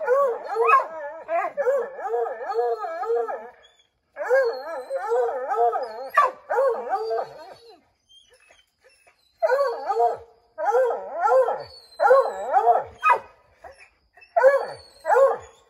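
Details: Five Redbone Coonhounds named Bo, Luke, Lulu, Cooter and Jesse tree a chipmunk in an oak, giving rapid wavering bawls in long overlapping runs with brief gaps, a chorus of excited hunting voices.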